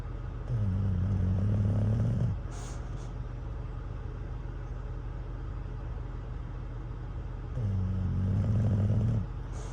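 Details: Sleeping at a truck stop, worn out by a campfire toy, Cruz the English Bulldog lets out two gravelly, low snores, each lasting nearly two seconds, with a quiet gap between. A droning engine and brief brake hisses run underneath.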